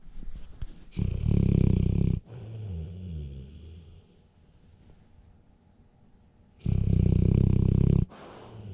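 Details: Male bluenose pit bull asleep with his eyes open, snoring loudly as usual, recorded on a GoPro Hero 7 Silver; two long, loud, low rumbling snores about five seconds apart, with soft breathing between.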